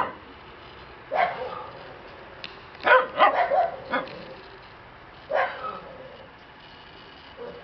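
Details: Male black Shiba Inu puppy at a breeder's kennel yipping: a lone bark, then a rapid burst of four or five high yaps, then two more spaced barks, with a soft hiss underneath.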